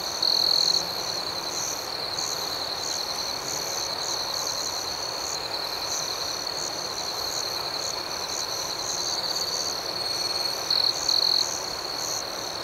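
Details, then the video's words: Night chorus of crickets: a continuous, shrill, high-pitched ringing drone, with a brief louder trill near the start and two short bursts close to the end. "Soothing Cricket Sounds"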